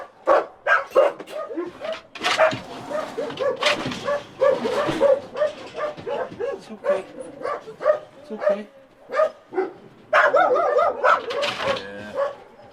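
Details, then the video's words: Rescued dog with a collar grown into its neck, whining and crying steadily: many short, quavering whimpers in quick succession, some rising to yelps, while people talk over and between the cries. "Crying Dog With Embedded Collar"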